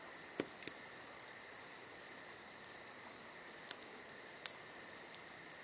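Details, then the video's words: Summer night crickets keep up an unbroken shrill trill with rapid pulsed chirps overhead, while a crackling campfire adds scattered snaps and pops throughout. "Summer Night Crickets & Crackling Fire"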